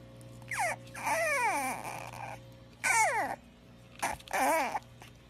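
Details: French Bulldog giving several drawn-out whining cries, each sliding downward from a high, strained pitch to a lower moan, in short bursts separated by quiet pauses, with a faint steady hum underneath.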